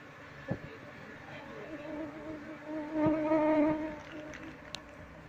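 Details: Honey bees droning as their colony is moved into a hive box before the queen is located; a steady harmonic buzz swells clearly for about a second midway, with scattered taps around it.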